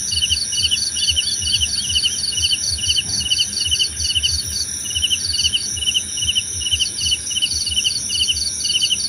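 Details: Crickets trilling in a soothing night-style ambience, quick clusters of high chirps repeating roughly twice per second, a constant shrill hum and faint low thumping beneath.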